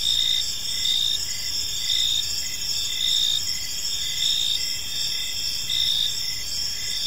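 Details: Evening park crickets give a continuous shrill chorus, high pulsed chirps repeating about once a second in an even rhythm above soft low ambient noise.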